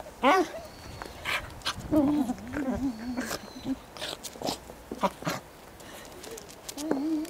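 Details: Goro, a Welsh corgi kept as a pet, filmed 19 January 2013: loud high yaps and wavering, whiny barks rise and fall in irregular bursts while people speak nearby.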